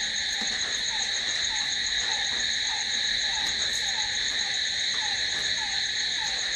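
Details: Crickets calling at night: a dense, unbroken high-pitched trilling that sits in several steady layers, with a softer, lower chirp repeated about three times a second underneath.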